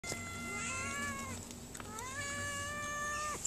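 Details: Hungry mother cat meowing while a woman feeds her from her hand: two long, drawn-out meows, each slightly falling at the end, over steady low background hum.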